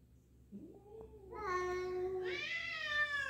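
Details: First indoor meeting of a black cat and a new black-and-white cat, the black cat hesitant; a soft low start swelling into a long, steady, loud meow that rises in strength near the end.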